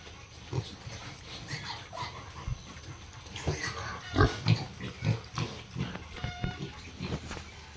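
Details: Deep, rapid, uneven grunting from farm pigs among piglets of Hampshire, F1, British Landrace and Yorkshire stock, thickening in the second half, with a brief high squeal near the end and general barn clatter.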